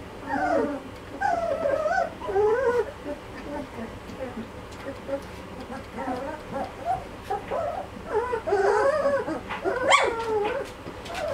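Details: Malinois puppies, two and a half weeks old, from a litter: a chorus of rising and falling whimpers and squeals overlapping throughout, with a sharper high yelp near the end.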